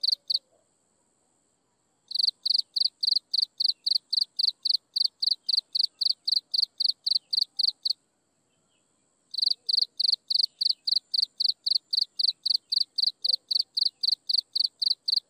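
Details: Sunset insect chorus: shrill, rapid pulsed chirps repeat at an even pace of nearly four per second, stopping twice for a couple of seconds, during which only a faint continuous high hiss remains.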